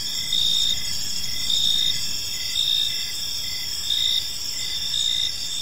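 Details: Evening in a quiet park, crickets keep up a dense high chirping chorus, bright pulses rising from the constant ringing drone about once a second, with soft low rumble underneath.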